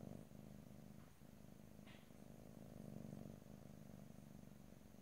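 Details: Pet cat purring softly near the mic, stereo and without talking; a quieter low vibrating drone with steady rapid pulses and a small high rustle near the middle.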